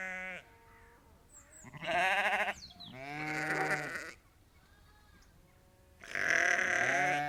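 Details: About 30 to 50 ewes and lambs calling on a sheep farm: a short bleat at the start, then loud quavering bleats of varying pitch at two, three and six seconds.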